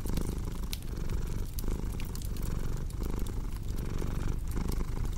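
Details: Low, buzzing purr from a domestic cat, rising and falling in regular breathing rhythm, with sharp wood-fire crackles popping throughout.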